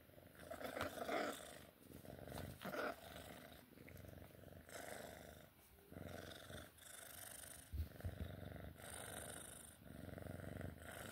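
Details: Purring Sphynx cat at play, a steady low rumble rising and fading in breath-length waves roughly every one to two seconds, mixed with rustling and a few brief clicks.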